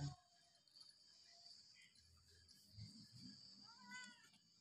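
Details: Hungry domestic cat at feeding time gives one short, rising then falling harmonic meow near the end, over low rumbling background noise and a steady high insect-like whine.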